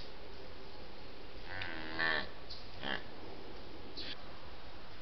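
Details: Red deer during the 2023 rut, filmed on fields and meadows with a hind, calf and stag present; a single harmonic groaning bellow of about half a second, then short harsh bursts, over steady low background noise.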